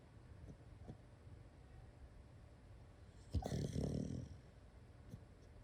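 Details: Female Shiba Inu asleep indoors, relaxed, giving a short snoring, growl-like sleep-talk burst of about one second in the middle, with faint soft snuffles before and after in a quiet room.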